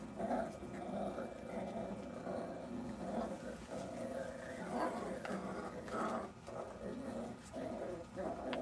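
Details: Jack Russell Terrier puppies from Silvi's litter growling while playing: low, rough, pulsing growls in short bursts roughly every second, with a woman's voice speaking softly in between.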